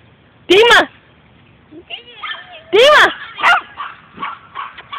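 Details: Puppies give two loud, sharp, harmonic yelps about two seconds apart, amid people talking in Spanish and English and calling them encouragingly.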